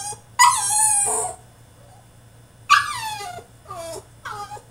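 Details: French Bulldog protesting in his cage during a tantrum: a long loud whine falling in pitch, a pause, then a second cry and two shorter descending whimpers; faint hum behind.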